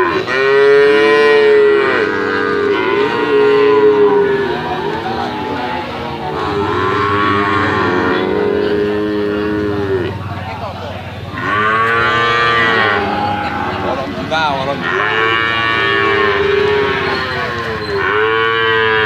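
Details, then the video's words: Brahman and Limousin calves mooing repeatedly over about nineteen seconds, drawn-out nasal lows in arching pitch contours, some overlapping, with a faint low rumble of background noise underneath. "PEDET SAPI BRAHMAN DAN LIMOSINAN"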